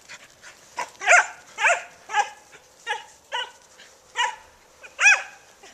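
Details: Several dogs at Creature Comfort Inn playing tag; sharp, harmonic barks come in a steady series roughly every half second, some higher and yelping, over faint background movement.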